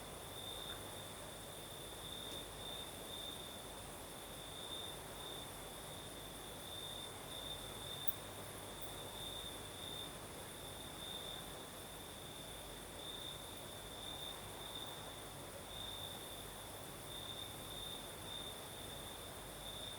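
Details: Nocturnal cricket song from the south of Crimea with a night breeze: a constant high trill pulsing in short bursts for twenty seconds, a faint higher chirring layer above, and steady soft wind noise below.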